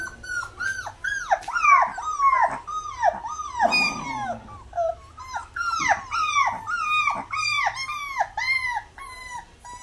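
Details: Puppy crying in a steady series of high, downward-curving whines, roughly two per second, each sharp onset fading into a falling wail, with a brief rougher noise near the middle.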